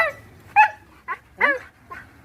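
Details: Pet dog making talking-like vocalisations: a series of short, tonal yowls and whines with bending pitch, about four or five separate utterances spaced roughly half a second apart, in a quiet indoor setting.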